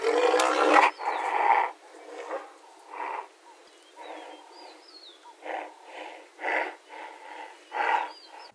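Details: A white rhino cow reacting to an approaching bull gives harsh, breathy rasping calls in irregular bursts, about ten in eight seconds, while small birds chirp thinly in the background.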